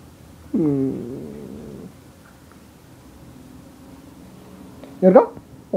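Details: Siberian Husky greeting its owner in bed in the morning; one drawn-out, wavering, howl-like vocalisation bending down then level for over a second, followed by a woman talking affectionately in French.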